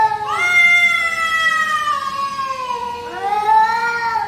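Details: Drawn-out yowling from pet cat Chhotu's territorial fight with a stranger cat in the backyard: one sustained, gradually falling wail, then a second rising howl starting near the three-second mark.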